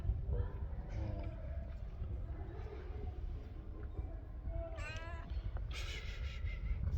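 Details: Stray cats giving two meows over a steady low rumble of background noise: a short harmonic mew near the five-second mark, then a longer, brighter meow about a second later.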